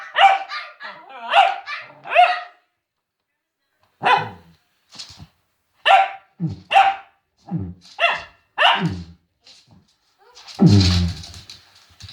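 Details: Cavalier King Charles Spaniel William, frightened and barking at silliness: a rapid run of bright barks, then spaced single barks roughly every second, ending in a louder rough low bark.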